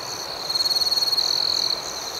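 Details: Night crickets: a single high, clear trill swells into a run of rapid even pulses, about twenty a second, for over a second, then settles back. A steady chorus of other crickets continues beneath it.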